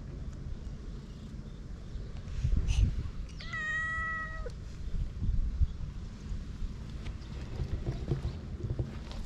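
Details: On a cat island, stray domestic cats are fed dry kibble, filmed with a GoPro. One cat gives a single clear meow lasting about a second, flat then dipping, over steady low rumbling background noise and a few soft knocks.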